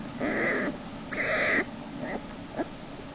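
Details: Black bear cub Jason in Lily's den on March 1, 2011, screaming as sibling Hope pulls him back by his hind leg; two harsh, harmonic half-second squalls, then fainter short cries over a steady low hum.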